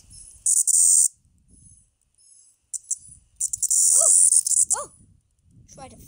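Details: Floury baker cicada held in a hand and trying to fly, giving loud, harsh, high buzzing bursts of about half a second to a second, separated by quiet gaps, with faint speech and a couple of brief falling squeaks.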